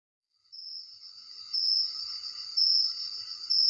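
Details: Crickets at night, recorded on a phone: after a brief silence, a steady high-pitched trill begins and swells into louder shrill bursts roughly once per second over a continuous buzzing background.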